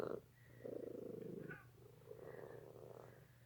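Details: Domestic cat waiting for dinner indoors, purring in rough low rumbling bursts, one stretch of about a second then a second longer run after a short pause, with a steady electrical hum beneath and a man's voice speaking to the cats nearby.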